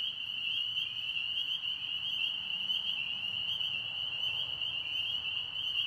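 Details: In a Tennessee pond, frogs keep up a continuous shrill, high trilling chorus, with slight wavering pitch slides among the massed voices and a faint low rumble beneath.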